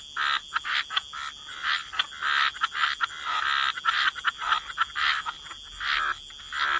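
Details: Several frogs in a wetland chorus by the water. Clustered, grating croaks arrive in irregular bursts, some calls stretched into longer rattles, with brief quiet gaps between groups.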